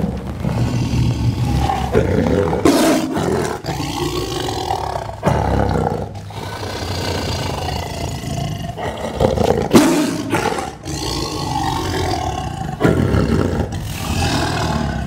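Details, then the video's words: A Sumatran tiger, recorded from only 2 metres away, lets out deep, rumbling roars that swell and fade in heavy bursts. "sumatran tiger roar"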